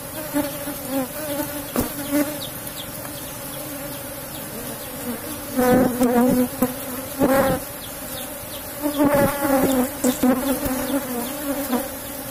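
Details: Asian honey bees humming continuously around an opened box hive at honey harvest, the steady drone repeatedly overlaid by loud bursts of handling noise and a man's voice.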